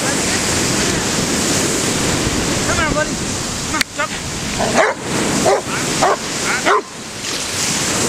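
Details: Harley the dog mid-fetch in the ocean at Cordova Bay, British Columbia, filmed 10 October 2011; constant surf with a cluster of four abrupt barks in the second half, one faint vocal sound earlier.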